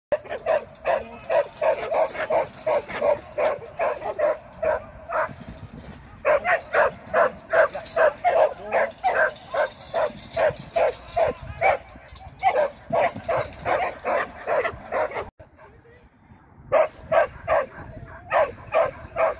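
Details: Shetland Sheepdog during training, 24 April 2023: sharp high barks repeated rapidly, about two or three per second in long runs, with a brief pause near the end before barking resumes.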